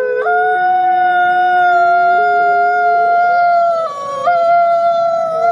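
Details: Nikai, captive-born gray wolf at the Wolf Conservation Center in South Salem, New York, howls in long flat tones that jump abruptly between pitches, low then higher, with a brief dip near the end.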